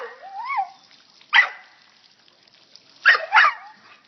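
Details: In a water fountain, Lucy the dog starts with a rising, wavering whine, then fires off a sharp bark and a quick double bark, her funny bark ringing over quiet water sounds.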